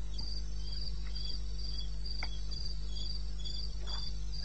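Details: Cricket calling in the wilderness of eastern Botswana, recorded at 02:30 at night in May: high, bright chirps repeated several times a second in a steady pulse, with a second fainter caller and a constant low rumble beneath.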